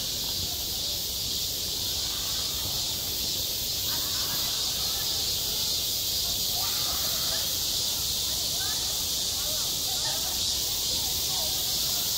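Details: Cicadas singing on a school playground in midsummer, recorded on site: a dense, steady, high-pitched buzzing hiss without pause, with faint scattered lower sounds in the background.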